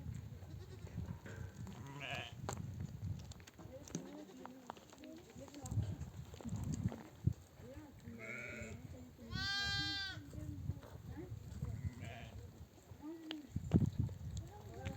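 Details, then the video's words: Mother sheep of a nomadic flock, back from desert grazing, bleat to call their lambs to nurse: a few wavering, quavering bleats, one long and strong near the end, amid murmuring voices and low rumbling. "The sound of mother sheep returning from the pasture to breastfeed her babies"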